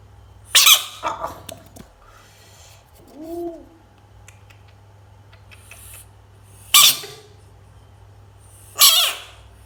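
A frog gives harsh, hissing screams in short bursts, with a brief rising-and-falling squeak between them.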